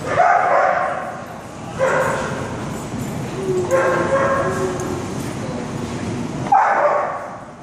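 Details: Young female Otterhound, six months old and over 70 lbs, playing with large dogs: long, rough, growly barking bouts lasting one to two seconds, a lower rumbling stretch midway, and a sharp bark at the end.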